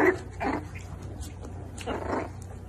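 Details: Miniature Dachshund giving two short, harsh yapping barks about one and a half seconds apart, over a steady low hum.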